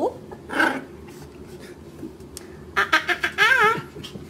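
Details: Puppy kept as a pet lets out a short bark, goes quiet, then gives a rapid series of yaps that ends in a wavering, whining howl, while a person nearby says no.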